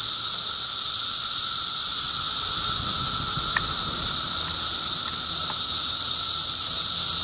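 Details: June 2013 cicada activity in Middlesex County, New Jersey: a loud, sustained sizzling drone with an underlying low hum, broken only by a few faint short clicks midway.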